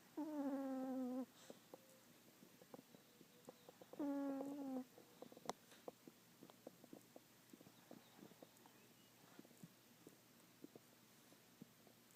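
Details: Chihuahua in deep sleep snoring: two drawn-out, tonal, whistly breaths about four seconds apart, each roughly a second long, followed by quiet breathing and faint scattered ticks.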